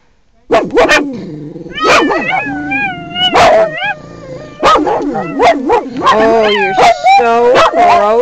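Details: Small pugs defending their territory inside a car against possible predators. Loud, rapid, uneven yapping barks and high, wavering yips overlap, several dogs at once, with a short break midway before the barking resumes.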